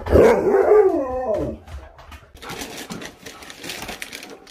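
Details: Siberian Husky that can't wait to go outside and play lets out a loud wavering howl lasting over a second, which fades into hissy background noise and faint rustling.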